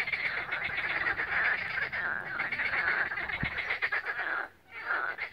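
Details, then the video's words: Croaking frogs massed along the Balaton shore at Siófok, Hungary, 16 May 2021, captured on a mobile phone: rapid grating pulses in a continuous chorus, briefly dipping near the end before resuming. "Béka hangverseny a Balatonnál"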